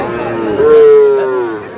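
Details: Cattle at a twice-weekly livestock market in Nawabganj upazila, Dinajpur, Bangladesh, on Saturday 25 April 2026, where small bull and heifer calves are traded. A single steady, drawn-out moo lasts about one second, swelling then fading, over crowd chatter.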